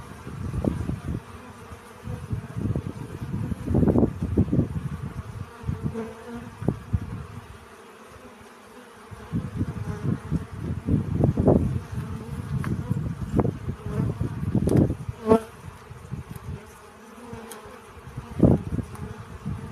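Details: Bee collecting pollen, a low buzz that swells in irregular bursts, drops to near quiet for a moment, then returns in dense waves, with a few faint clicks and brief higher tones.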